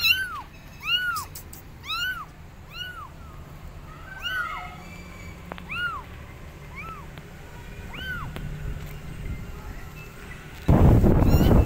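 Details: Abandoned kittens on a gate meowing loudly for their mother cat: a run of high, arched meows about every second, then fewer, fainter ones, ending in a burst of broadband noise.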